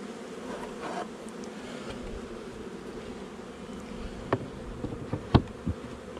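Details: Steady low hum of a honey bee colony during an inspection of a month-old nuc on 8 July 2020, with a few brief thumps and knocks near the end.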